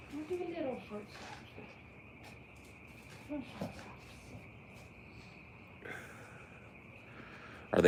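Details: Crickets give a steady, high, unbroken trill outdoors at night, with frogs possibly croaking in the mix and a person talking over it at times.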